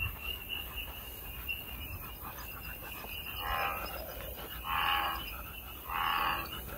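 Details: American bullfrog outdoors: three fairly faint, rich droning croaks in the second half, each under a second long, against a constant high-pitched insect buzz and low background rumble.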